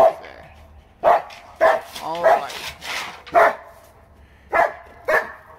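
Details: A happy, excited German Shepherd outdoors at night in winter, by a gazebo lit with new plug-in string lights, attacks a board and barks: short, harsh, full-throated barks at irregular intervals of about a second, with a man's voice briefly between.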